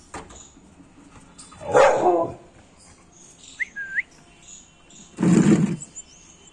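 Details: Aggressive American Pit Bull Terrier barking twice, about three and a half seconds apart, each bark harsh and booming. Between them comes a brief whistled tone that rises and then falls, over a quiet background.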